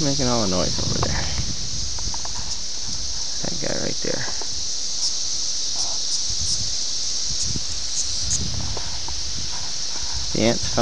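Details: Brood X 17-year periodical cicadas emerging at Ayersville, Ohio, on June 18, 1987, captured on a VHS camera: a steady high hissing chorus runs throughout, with human voices near the start and end and leaf rustling.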